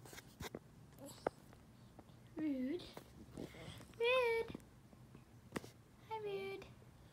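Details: Sad dog missing its owners gives three short, wavering tonal howls, each about half a second, spaced roughly two seconds apart, with scattered clicks and knocks between them.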